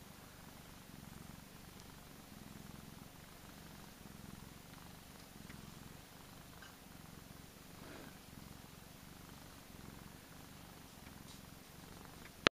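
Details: A male Persian cat, plump and spoiled, gives a long low purr, a soft rumbling throb rising and falling with each breath, with faint rustling and a click at the end.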